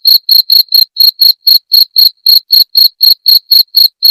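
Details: Cricket chirping, a sound used to repel rats: loud, high, pure chirps pulsing about four times a second in a steady, even rhythm with short silent gaps between pulses. No other sounds.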